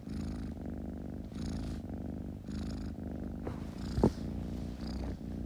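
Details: Purring kitten, a low throaty rumble pulsing with each breath, broken once by a brief sharp knock near the end.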